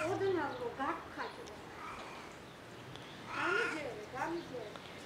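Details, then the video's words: Cat rolling on a parked car while making weird sounds: drawn-out, wavering meows that rise and fall in pitch, one pair at the start and another around three seconds in, with quieter murmurs between and steady background hum. "Cat rolls on someone's car and making weird cat sounds!"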